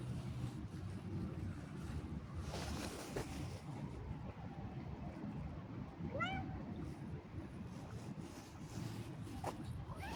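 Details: Cat out on a walk gives a single short meow near the six-second mark, rising then falling, over a constant low rumble like passing traffic.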